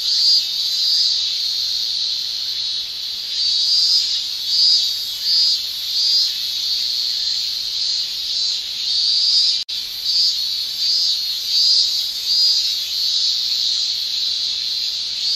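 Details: Male Japanese cicadas shrilling in summer via tymbals: a continuous high buzzing drone with rhythmic pulses of extra loudness roughly every second, one brief dropout midway.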